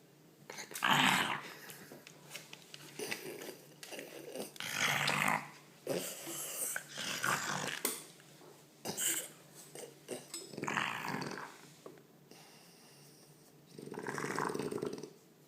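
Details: French Bulldog grunting strangely, almost pig-like, as it is stroked indoors; a series of raspy snorts and growly grunts, each one to two seconds long, separated by short quiet gaps.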